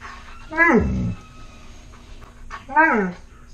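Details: Alaskan Malamute dog indoors asking for food while french toast is made, giving two loud falling whines, each sliding down from a high pitch with a rich harmonic stack, about two seconds apart, over quiet kitchen background.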